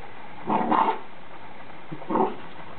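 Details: Bull Terrier at play with a manhole cover, giving two short muffled, gruff barks about one and a half seconds apart over a quiet background.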